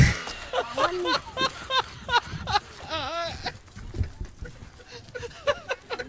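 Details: Goats in a village at Tilda Neora, filmed for a comedy skit about goat thieves: several wavering, nasal bleats near the first and third seconds, rising then falling, mixed with men talking, shouting and laughing.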